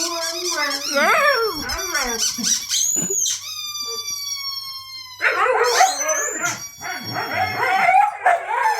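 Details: Siberian Huskies indoors, howling set off by a squeaky toy: wavering, sliding howls over the toy's high, steady squeaks, which hold flat tones for a couple of seconds before the dogs' voices rise again.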